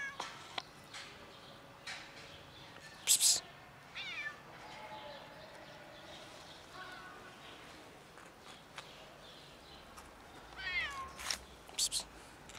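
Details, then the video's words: Loud meows from a ginger cat being ignored by people, a few drawn-out wavering cries spaced several seconds apart, mixed with sharp knocks, clicks and some low voices. "Ginger cat meows loudly but people ignore"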